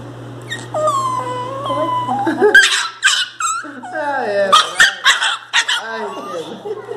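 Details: A Pinscher being given deworming medicine cries very loudly, whining and whimpering in high, wavering, drawn-out cries that break into short yelps, with a person talking over it.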